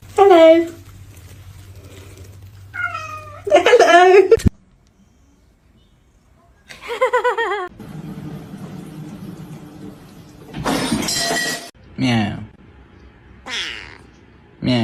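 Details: Kitten meowing and crying: loud, harmonic, wavering meows in short bursts separated by pauses, some rising then falling, others drawn out; brief rustling and thumping noises between calls.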